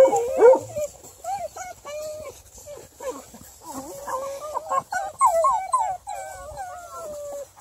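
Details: Ten-month-old UKC-registered female Bluetick Coonhound named River Styx Indigo, raised in the house, giving a long run of high, wavering whines and yelps that bend up and down, crowded closely together with little pause.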